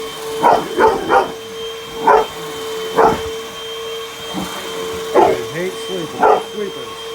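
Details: Puppy barking while attacking a running vacuum cleaner indoors: short, sharp barks in quick bursts, a cluster of three followed by single yaps roughly every second, over a steady machine hum.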